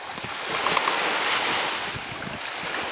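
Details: Steady roar of breaking surf and wind buffeting the microphone, with a few sharp splashes and no animal voice.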